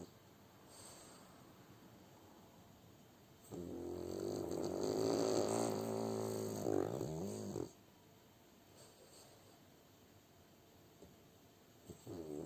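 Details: French Bulldog Kuzya asleep and snoring: quiet breathing, then one long, rattling, buzzy snore lasting about four seconds that swells and ends in a wobble, followed by calm, with a soft snort near the end.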